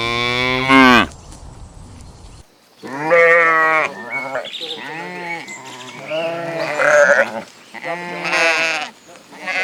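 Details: Sheep (Ovis aries), bleat.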